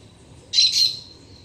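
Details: A black-tufted marmoset visiting a garden in autumn, arriving when the sun reaches the trunk of a Citharexylum myrianthum tree, gives one brief, high, harsh call with a thin whistled edge.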